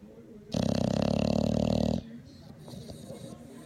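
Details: Sleeping English Bulldog refusing to wake up, snoring loudly enough to keep its owner awake: one long, harsh, rumbling snore of about one and a half seconds with rapid rattling pulses, followed by faint background voices.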